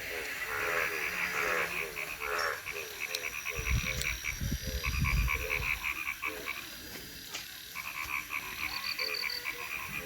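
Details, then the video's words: Frogs in Thakurgaon district: rapid, throaty croaks in short pulsed runs, overlapped by a chorus of higher pulsed trills, with brief thumping noise partway through. "Natural sound of a frog in Thakurgaon district"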